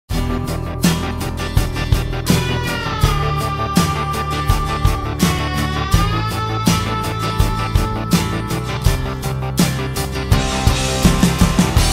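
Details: Loud rock-style instrumental music with driving guitar, steady drums and sustained melodic lines plays throughout, with no animal sound.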